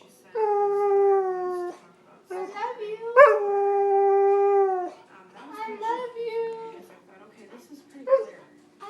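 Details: Talkative pet dog, part husky and part Malamute, producing long steady howls of over a second each, then a sharp rising yelp that flows into another sustained howl, followed by shorter whining notes and a human voice.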